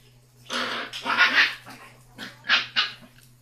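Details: Tiny six-week-old basset hound pup, noisiest of its litter, letting out a few loud, raspy barks, two long ones then two short sharp ones, in a quiet indoor space.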